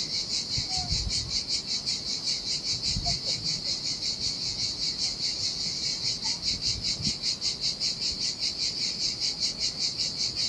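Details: Summer cicada chorus on a lonely Sardinia shore: high, rasping buzz throbbing in even beats roughly two and a half per second, with a few faint chirps and soft low thumps beneath.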